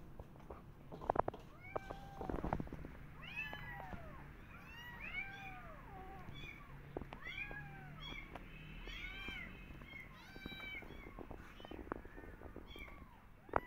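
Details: Persian cat with her adopted kittens on a walk in a garden, carefully watching rabbits; many short, high arched meows tumble over one another in quick succession over a low steady hum, with a few sharp knocks.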